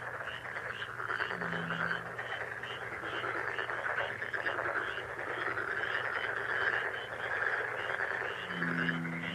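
A dense chorus of frogs, many voices trilling and croaking together in a steady, overlapping wall of sound.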